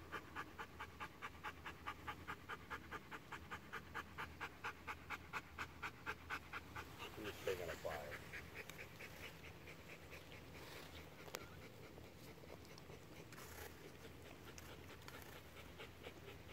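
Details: Bernese Mountain Dog panting in regular quick breaths for the first seven seconds, then the rhythm fades into softer irregular breathing, with a person speaking partway through.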